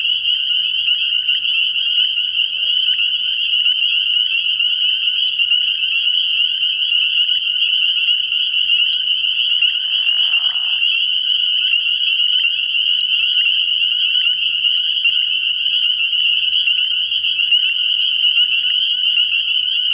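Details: Spring peepers in full chorus at a frog pond at night, early in the year: piercing, overlapping high peeps run without pause, with one short lower burst around midway.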